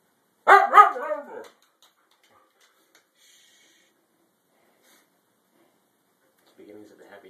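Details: A female Siberian Husky gives a brief, wavering, yodel-like 'talking' vocalization with rising and falling pitch, objecting because she wants to go back outside. Siberian Husky.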